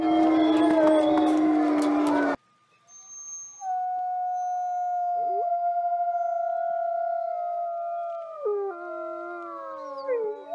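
Wolves give long, smooth, sustained howls that hold a steady pitch, then slide downward as other voices join.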